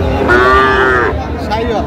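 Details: Sahiwal bull calf lowing at Ranigonj cattle market, Dinajpur, Bangladesh, where a farmer buys calves; one sustained harmonic moo of about a second, then a short second call, with crowd chatter and men talking price.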